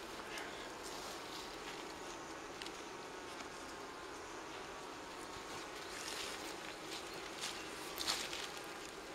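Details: Wild honey bee colony near Kiev, Ukraine, its four-comb nest on a fallen tree in a forest, smoked and moved into a hive: a steady buzzing hum with faint tonal bands, scattered clicks and rustling handling noise.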